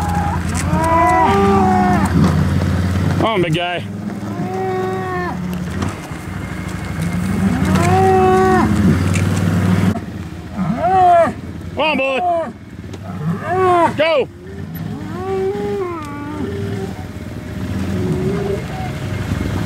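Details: Hereford cattle during 2017 breeding season turnout of bulls with their groups: a series of rising and falling moos and higher bawling calls from several animals, with engine noise and handling clatter.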